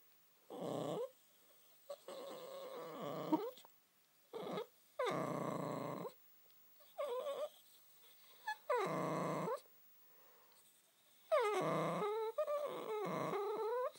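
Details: Josie, a pet Spitz whose moaning her owners call a song, lets out a run of drawn-out, wavering moans and yowls in separate bursts of one to two seconds, some rising into higher whining cries, with short silences between.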